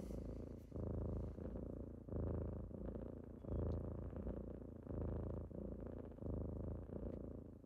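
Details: Kittens purring as they wake someone on a typical morning, a rich, even low rumble in clear in-and-out breathing pulses about every 1.5 seconds, almost free of other sounds.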